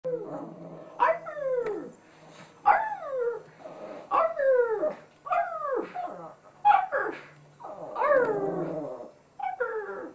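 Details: Chihuahua named Chico howling in response to being talked to; a series of wavering, descending howls with rich harmonics, each about a second long, repeated with short pauses, a low steady hum underneath.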